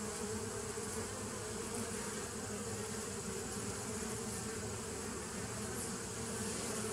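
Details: Bees recorded on 27 September 2018, a steady, dense buzzing hum with a strong low drone and faint higher hiss, unbroken throughout with no other clear sounds.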